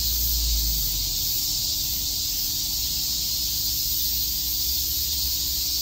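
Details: Chirping cicadas at Shakujii Park, Tokyo, on a summer day, heard as a constant high, hissing drone of many insects, with a soft low rumble underneath, strongest at the start.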